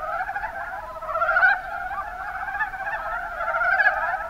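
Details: Mountain brown frogs (Rana ornativentris) in the Kuma Basin, Kumamoto, Japan, calling in a dense chorus: overlapping rapid clucking croaks form a steady warbling drone, swelling briefly louder around the middle and near the end.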